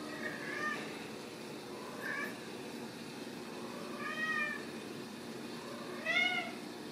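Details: Ragdoll kittens raised in a home cattery in central Kansas without cages, giving four high, arched, harmonic meows about two seconds apart, each rising then falling, over a faint steady background hum.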